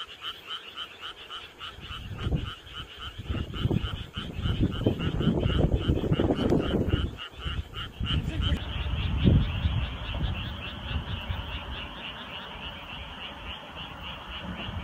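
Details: Frogs croaking in chorus on a summer night, rapid repeated pulses about three or four per second forming a continuous rattling wall of sound, with a strong low rumble in the first half.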